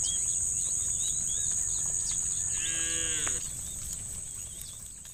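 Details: Angry cows from a tame herd heading to muddy rice fields in the morning: a single drawn-out, slightly falling moo lasting under a second, with a constant shrill insect hum and bird chirps around it, the background fading afterwards.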